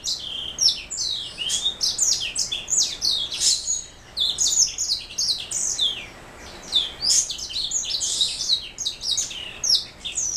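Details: Continuous, rapid warbling from a black throat mule, a canary hybrid: high twittering notes, downward-sweeping whistles and chattering phrases. There is a short lull near the middle before the song resumes.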